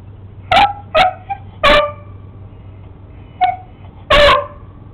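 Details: Beagle named Sammy barks at a lizard, giving five loud, harsh barks in quick succession, the last one longest, over a constant low hum.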